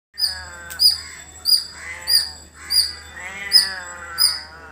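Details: Squirrel calling in a village: sharp, high chirps repeated about every 0.7 seconds, seven in all, over harsher, lower chattering calls from other birds nearby.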